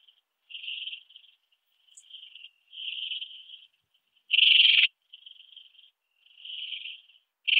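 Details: Ringed bush-cricket (Rhacocleis annulata) song from Biedermannsdorf, Austria, 8 August 2022: a string of short rasping bursts at irregular spacing, mostly soft, with one much louder half-second burst and another loud onset at the end.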